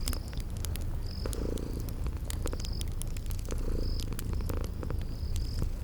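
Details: Sleeping kitties purr in a low, steady rumble with gentle swells, set against a crackling fire's sharp pops and short, high cricket chirps repeating about every second and a half in a spring garden ambience.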